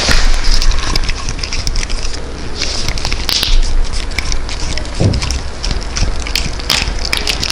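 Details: A Welsh Corgi eats freeze-dried dog food after being told to sit, crunching with steady crackling bites over a low background hiss.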